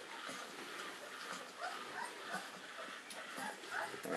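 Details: Three-week-old St. Bernard puppies of the mother Olivia nursing at the Mas de Jalnot breeding kennel; short high whimpers and squeaky yips come in scattered bursts over a steady broadband hiss.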